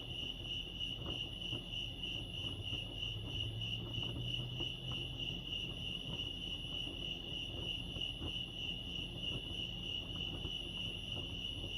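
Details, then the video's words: Lake Arrowhead crickets in California giving a continuous, rapidly pulsed high chirping, even and unbroken for the whole stretch, over soft low ambient hum and faint clicks. "Serenity sounds crickets chirping lake arrowhead"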